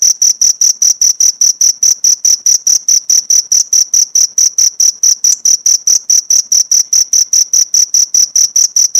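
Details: Cricket recording meant for teaching songs to pleci birds. A continuous series of sharp, high-pitched chirp pulses, about four per second, holds a constant pitch and loudness throughout.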